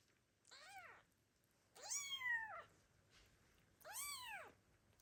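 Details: Abandoned kittens meowing loudly for their mother cat: three clear, rising-then-falling meows in five seconds, the middle one longest and most drawn out, in a quiet room.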